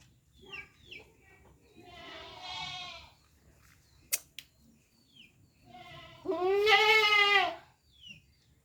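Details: Goat bleating twice: a softer, buzzy bleat early on, then a loud, wavering bleat near the end, with two sharp clicks in between and faint bird chirps around.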